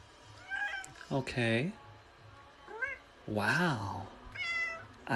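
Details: Domestic cat with a run of meows, some short and wavering, others longer and swooping down at the end, spaced irregularly over a few seconds against a low background hum.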